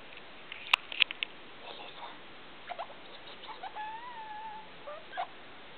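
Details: Pet degu vocalising indoors at 2 o'clock at night under the big room light: sharp clicks and ticks, soft chattering, then two drawn-out wavering whistles, ending with a brief squeak, over faint steady hiss.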